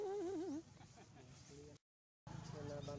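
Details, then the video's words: Baby monkey Jinx crying after being grabbed by her mother Jade: a loud, wavering, quavering wail for about half a second, then softer short tonal whimpers, a brief silence and steady low background rumble. "Poor Little Jinx Crying Following Jade Mom Grabbing"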